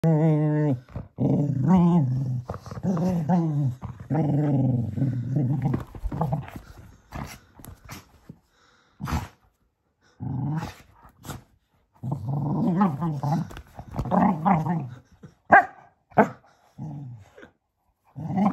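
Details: A male Cocker Spaniel growls and grumbles in low, rumbling bursts while playing with his toy donkey, full of energy just before bedtime.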